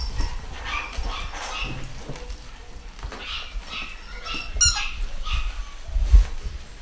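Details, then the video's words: Pedigree Scottish Terrier puppies from a new UK litter, fully vaccinated and ready for new homes, giving high squeaky whimpers and short yips in irregular bursts, with low thumps and rustling from handling. "New litter of pedigree Scottie babies"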